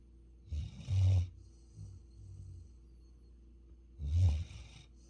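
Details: Futu, a Labrador Retriever from Jeju Island born in November 2020, snoring while asleep: two deep, rumbling snores about three seconds apart, each a low rasping burst lasting under a second, with quiet breathing between.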